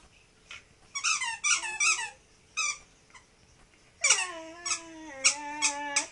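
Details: Male Tibetan Terrier vocalizing to his toy: bursts of high, squeaky whines, then long, drawn-out harmonic moans that rise and slowly sag in pitch, broken by short squeaks.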